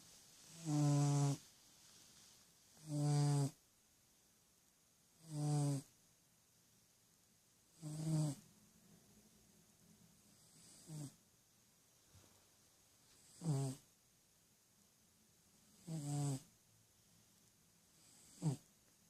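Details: Ten-year-old domestic cat asleep with its eyes open, dreaming; low, rough snoring breaths come about every two and a half seconds, eight louder bursts with a couple of softer ones in a quiet indoor room.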